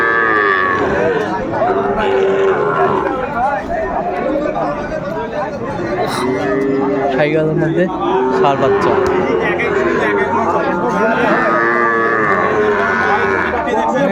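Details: Lowing of Sahiwal bull calves at Ambari cattle market, 29 April 2024, while a Faridpur farmer shops; several overlapping moos with wavering pitch, under continuous talk from traders and a busy crowd.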